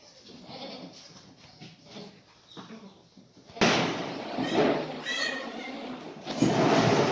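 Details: Black goats on a farm in Gimhae, South Gyeongsang, Korea, recorded 28 February 2019 after moving into a new maternity pen; a wavering, harmonic bleat rises over loud rustling and clatter, with human voices and knocking nearby.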